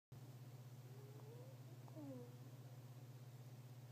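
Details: Fennec fox snoring, very quiet. Two or three thin, whistled, nasal squeaks slide up or down, over a steady low electrical hum.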